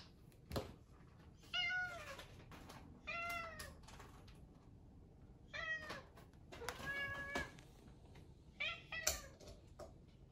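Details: Adopted rescue British Shorthair cat asking for breakfast with repeated short meows, five or so, each slightly falling in pitch, about every one to two seconds; clicks and knocks in a small room between calls.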